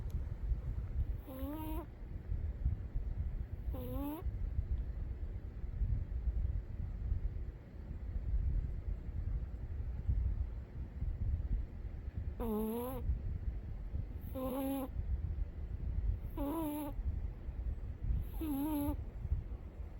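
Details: Sleeping Umi the cat gives whistling snores: two nasal squeaks early on, a long quiet stretch, then four more at roughly two-second intervals over constant low-pitched room rumble.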